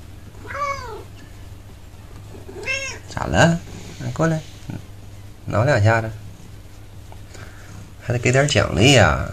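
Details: A domestic cat meows while playing with a new toy indoors, eight cats shown together; falling harmonic meows near the start and around 3 seconds, mixed with a person talking and a steady low hum.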